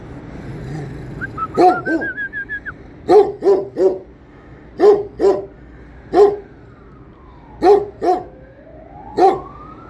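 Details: A Kangal guards its area and lets no one approach, giving loud, deep barks in short bursts, some in quick pairs, about ten over ten seconds, with a faint rising whistled tone early on.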